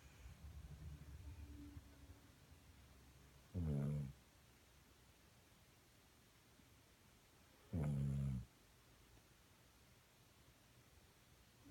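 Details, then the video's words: Dog asleep, dated 4/26/16, snoring in low grumbling bursts under a second long, spaced roughly four seconds apart, with soft breathing between them. "Dog snoring"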